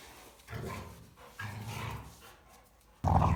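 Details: Female Rottweilers play together, chewing and humping each other. Two deep, drawn-out growls of about a second each are followed by a sudden loud, harsh burst of noise at the end.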